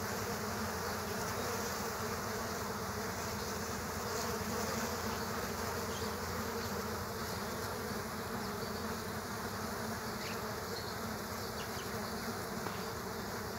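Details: Killer hornets in a fight with bees at their underground nest, a thick continuous hum of massed wingbeats that swells and eases slightly, with brief sharper whines now and then over the steady drone.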